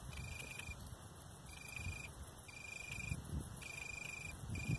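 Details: An Italian tree cricket (Oecanthus pellucens) sings soft, liquid trills in one-second phrases with brief gaps, from bushes above a horse paddock in Mücke-Ruppertenrod, central Hesse, Germany, around 21:00 on 18 August 2018, over a low rumble.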